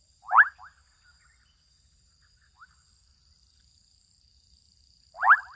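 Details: Adolescent frogs calling out in Kenyan wetland habitat: a quick pulsed rattle, a small chirp midway, then another rattling call about five seconds later, against a still, hissy background.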